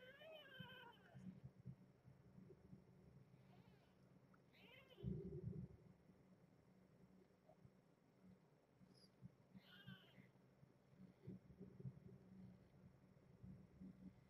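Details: A two-and-a-half-day-old male kitten of a brown tabby mother gives a few thin, high mews while meowing in his sleep, with a person talking nearby in the evening.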